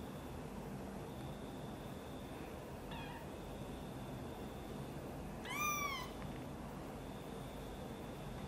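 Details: Angry mother cat reacting while her kitten Guitar is helped out of a box and brought near her: one faint short call, then a loud drawn-out wavering meow, against constant low engine-like hum.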